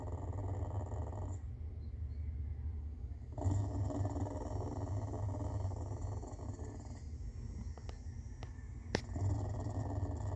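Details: Clouded leopard, either purring or snoring, gives a deep pulsing rumble in long bouts. The rumble fades to a quieter spell twice, and a few sharp clicks or taps break in near the end.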